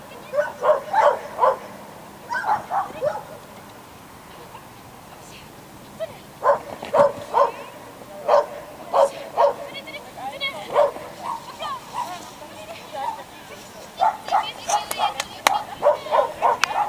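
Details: A schipperke competing in unofficial agility races at Měchenice on 27 November 2016 gives bursts of shrill, rapid yaps in clusters of three to five, pausing between bouts, while people talk nearby.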